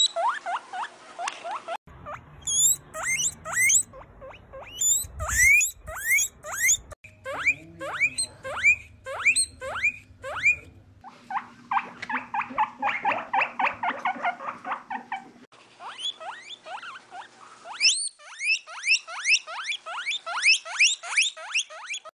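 Guinea pig giving rapid, high-pitched squeaks, repeated in quick rising bursts.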